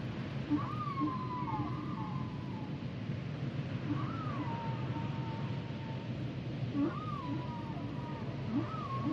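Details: Song of humpback whales, a repeated phrase of a rising then slowly falling whistled wail, heard about every three seconds, with faint low knocks and a steady underwater rumble.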